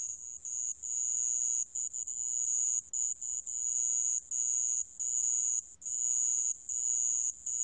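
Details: Sand cricket, recorded for Korea's national biological resources institute in 2020: a steady, very high-pitched trill that runs almost without a break, with short gaps now and then and a few fainter lower bands beneath.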